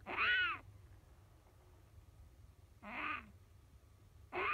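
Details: A captive-bred Siberian lynx kitten mews in its sleep during a nightmare: three high, quavering cries with a falling wail, separated by quiet pauses of two seconds, steady faint hum behind.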